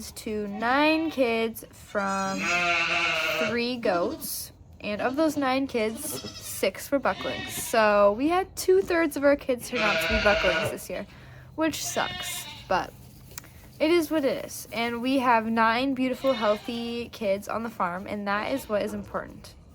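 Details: Maggie, a first-time Nigerian Dwarf dairy doe, in labour with twins on a Northern California farm: loud, wavering, strained bleats around three and ten seconds, with people talking close by throughout.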